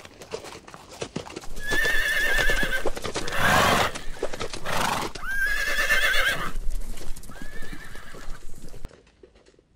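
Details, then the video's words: Horse neighing three times: loud, quavering whinnies that shake rapidly and slide downward, each lasting about a second, with hoof clip-clops and thumping noises between them. "CUTE LITTLE ANIMALS - COW, Pig, Lion, Horse, Elephant, Raccoon, Cat, Bee, Wolf - ANIMAL SOUNDS"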